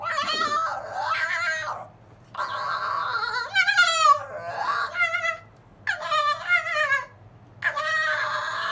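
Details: Zorro, a silver fox, whines at his older brother Tod, who wants to get past him to lie on the kennel top, a nightly routine; five bursts of wavering, harmonic-rich whines separated by short pauses.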